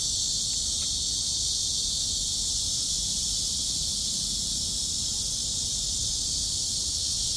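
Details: Steady, dense cicada drone on a walk outdoors, an unbroken high-pitched buzzing wash filling the upper range, with faint low background rumble.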